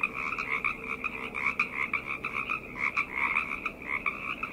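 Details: Frogs calling together at night, a dense chorus of overlapping croaks and trills in two bands, one high and one middle-pitched, pulsing continuously with a faint steady lower hum beneath.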